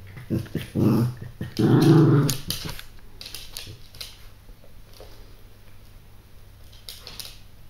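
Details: Lulu, a 7-week-old female Yorkshire Terrier puppy, gives short, low growls and grumbles in a small room while playing with her chew and another dog.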